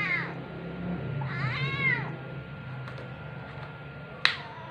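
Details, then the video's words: Chippy, a rescued pinstripe tabby kitten, talking with its owner indoors on an October evening in 2023: a short high mew, then a longer arched, wavering meow, with a faint click and steady low room hum. "A Conversation with Chatty Kitten 'Chippy' (Pinstripe Tabby Cat)"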